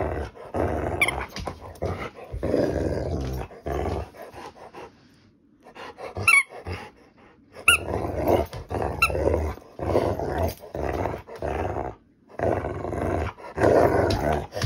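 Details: Grumbling female Rottweiler, teased as acting vicious, gives long throaty growls in repeated rough bursts, with a quiet gap midway and brief high squeaks over them.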